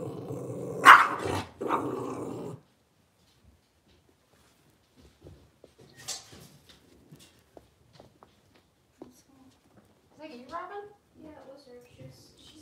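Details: Young blenheim Cavalier King Charles Spaniel from a litter of five in a home puppy pen, just moved to a larger pen; one loud, rough bark-growl burst opens, then quiet with small scratches, taps and faint whimpers.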